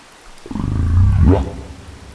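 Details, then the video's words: Humpback whale recorded by a hydrophone at 100 m depth near Folger Passage: a strange burp-like grunt about a second long, deep and rumbling with stacked low tones, ending in a quick upward sweep. "Humpback Burps"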